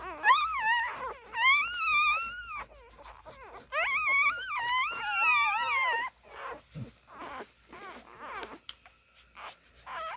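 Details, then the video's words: Siberian Husky puppies nursing indoors, several pups giving long wavering whines and wails that rise and fall, overlapping in bursts for the first six seconds, then shorter squeaky whimpers. "Siberian Husky Puppies Nursing."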